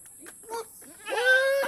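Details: Goat offered binunga leaves as feed; after a few faint, short sounds, a loud, drawn-out nasal bleat fills the final half second, richly harmonic and slightly wavering in pitch.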